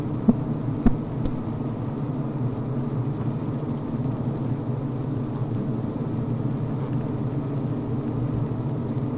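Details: Honey bees humming inside a healthy hive on the brood frame, a dense low drone with a couple of sharp clicks or taps near the start, then an even steady hum.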